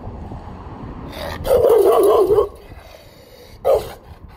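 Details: Rottweiler; bark; guarding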